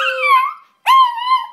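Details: Two short howls from Izzy, a singing pet terrier, the first bending downward over a faint steady lower tone, the second rising sharply then holding level; a voice speaks afterward.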